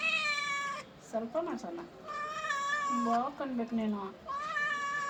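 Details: Indoor cat bath with a cat protesting: long, loud, sustained meows that sag slightly in pitch, broken by shorter wobbly lower cries.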